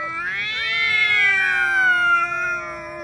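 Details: Two cats quarrelling as they meet, one of them named Xiaohui, described as a little afraid with its tail tucked; a single long, drawn-out yowl with a steady, harmonic-rich tone that lifts briefly near the start, then slowly sinks over three seconds.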